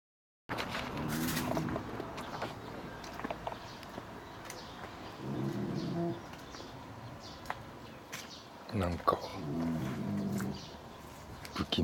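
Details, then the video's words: Bulldog napping with loud, awesome snoring: rough, low rattling snores come in bursts about every four seconds, each a throaty buzz with stacked tones, separated by quieter breathing in a calm indoor room. "ブルドッグの昼寝🔹 凄いいびき Bulldog nap awesome snoring"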